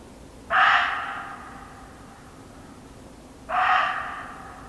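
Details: Muntjac deer in an English nature garden giving two sharp, hoarse barks about three seconds apart, each starting abruptly and trailing off, against a faint steady hum.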